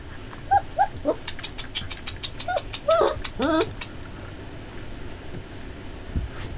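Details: Twenty-day-old Turkmen Alabai puppies giving a burst of short, high whimpers and yelps, about eight quick squeaky cries in the first four seconds, some bending upward, then quiet background hiss.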